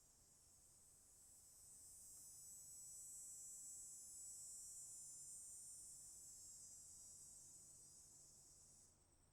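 Cicadas keep up a steady, high-pitched buzz that swells slightly and then stops abruptly.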